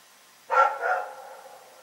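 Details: Dog barking at night: one short, sharp bark followed at once by a weaker second note that trails off, against a quiet background.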